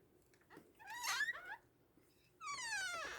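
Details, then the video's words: Fox giving two harsh, wavering cries: a short rising-and-falling whine near the one-second mark, then a longer, strained wail that slides steadily downward over nearly a second, with quiet between the calls. "Fox Sound"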